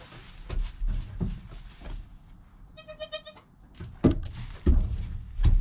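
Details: Newborn goat kid Joel, within an hour of his birth, beside his calm mother Penny, recorded on a GoPro: a single clear, wavering bleat of about half a second, surrounded by low thumps and rustling movement.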